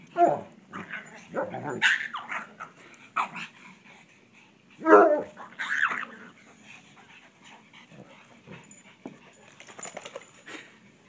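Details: Bloodhound and pug at play in a yard: scattered short barks, whines and growly play noises, one sharp loud bark near five seconds, then quieter rustling and occasional yips.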